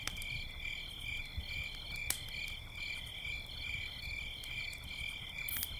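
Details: Crickets sing at night by a campfire, a constant, shrill, high trill that pulses slightly. Fire crackles and pops over a low rumbling background.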